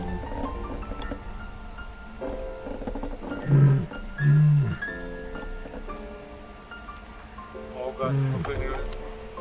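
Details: A lioness gives deep, moaning contact calls in short low bursts, apparently one of two pride members calling unexpectedly, with music and a man talking.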